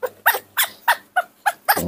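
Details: Baby monkey in a morning tantrum over its milk, giving a rapid series of seven sharp, shrill, harmonic screams, each about a third of a second apart.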